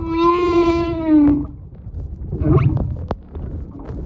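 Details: During a close visit by a humpback whale mother and calf in February 2022, a humpback gives a long, rich tonal moan that sags slightly in pitch before fading.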